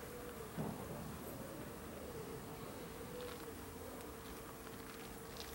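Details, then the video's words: Bees buzzing at their hives in a garden in Aarhus, Denmark, on 6 September 2014: a steady, even hum runs through the whole stretch under a broad noisy wash, with one brief thump near the start. "Bee Hives in a beautiful garden in Aarhus, Denmark"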